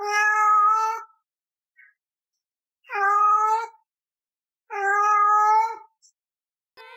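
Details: Domestic cat giving three drawn-out, clear meows of about one second each, steady in pitch with rich overtones, spaced roughly two seconds apart in a quiet room, with a brief faint squeak between them.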